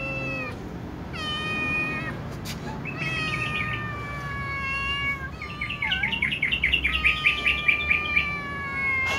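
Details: Kittens and a tom cat calling loudly before eating, several drawn-out harmonic meows in turn, then a rapid run of short pulsing high-pitched calls, overlapping voices from more than one cat.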